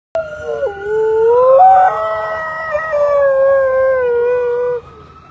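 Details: Husky in Seattle, Washington howling in harmony with a passing ambulance siren; long sustained wavering tones, starting low with a sudden dip, then sliding up and holding steady for about four seconds before cutting off.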